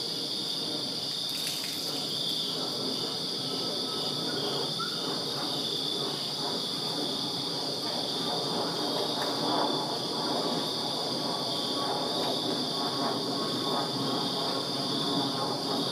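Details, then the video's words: Backyard crickets on a summer night in Virginia keep up an unbroken shrill trilling drone in several high bands, while a broad rumble and brief hissing bursts from something passing sound underneath. "Crickets Chirping Summer Night in Virginia"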